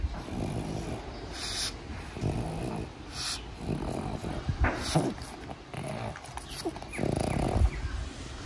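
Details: Napping pug named Pangpang gives low rumbling snores and snorts, rough breathy pulses of uneven length with a few sharper clicks, indoors with steady background hiss.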